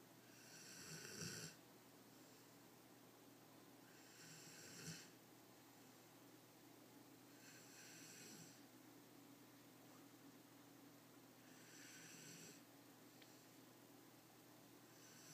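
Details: Sleeping Greater Swiss Mountain Dog snoring in a quiet room: soft rasping breaths return about every three and a half seconds, each airy hiss lasting under a second, with faint low rumbles at the loudest ones.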